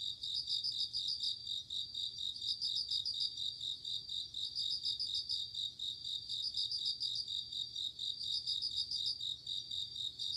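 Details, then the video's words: Autumn night with a bell cricket: quick bursts of high ringing pulses about every two seconds, with brief gaps, above a continuous background of other night insects. "鈴虫 夜の虫 虫が鳴く夜の雰囲気"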